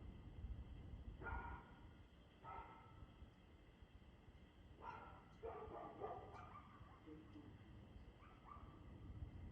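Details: Barking dog recorded in the evening, 6:02 pm, 2 June 2024. Somewhat distant, muffled barks come singly and in pairs every one to three seconds against a noisy low rumble.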